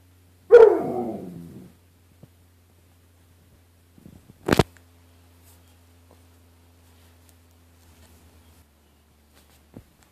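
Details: Dog called Bruce facing his mirrored image in a closet door's glass, indoors in a small room: one loud bark trailing into a grumble, then a sharp knock and a few faint later sounds over a low hum.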